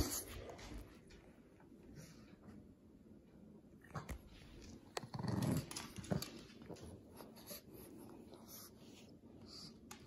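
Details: Winnie, a Shih Tzu/Pekingese, plays indoors with his mouse toy, giving a short low rumbling growl about midway, set against soft rustling and scuffling of play in a small room.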